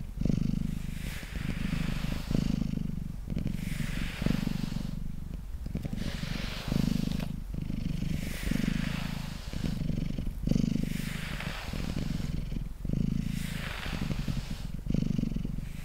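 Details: Pet cat Mango, brushed while resting on a table, keeps up a steady low purr in rhythmic inhale-exhale swells roughly every two seconds, accompanied by soft rasping brush strokes.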